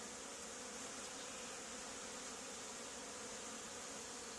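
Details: Swarming honey bees clustered on an old barn wall where a hive had been removed two days before, giving a continuous, even droning hum with no breaks and no other clear sounds.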